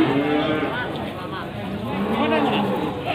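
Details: Goat bleats at Pasar Wage livestock market in Panggul, Trenggalek, Indonesia, on 18 May 2020, where male Etawa, Jawa Randu and Boer-cross goats are sold before Qurban. Wavering harmonic bleats come at the start and near the end over market chatter and a man talking.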